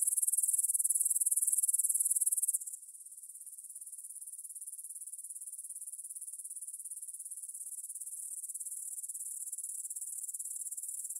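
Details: Grasshoppers stridulating in a meadow near the Svensky monastery in Bryansk, Russia, at 9 pm on 6 September 2020, taken with a Tascam DR-44WL stereo recorder; a loud, high, hissing buzz for nearly three seconds drops to a softer, steady shimmering chorus.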